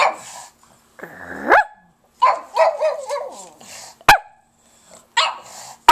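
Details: Pug. A pug gives a drawn-out howl that slides upward, then breaks into wobbling, yodel-like yowls and short yips. Sharp clicks punctuate the pauses between phrases.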